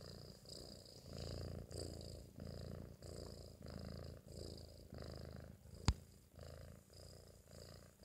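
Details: Four-month-old British Shorthair kitten asleep after a meal, snoring indoors: steady, low, rumbling breaths pulsing about twice a second in a regular rhythm, with one sharp click near the six-second mark.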